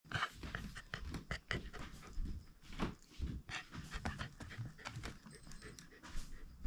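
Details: Shiba Inu dog indoors around snack time, panting in quick, irregular breathy bursts mixed with sharp clicks and rustling, with steady low room rumble underneath.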